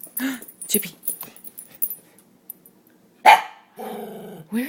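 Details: Pet dog named Chip, eager to see his owner, gives short vocal bursts and then a drawn-out, harmonically rich whining howl near the end, while a person keeps asking where his owner is.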